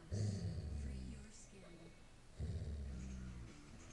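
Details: Sissy, a female Airedale Terrier with a new toy, growls in two low, rumbling bursts about two seconds apart while a woman speaks softly to her.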